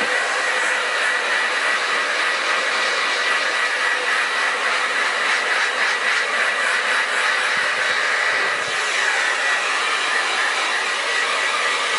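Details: Loud, steady roar of a hair dryer throughout, broad and hissing, with no animal sound heard.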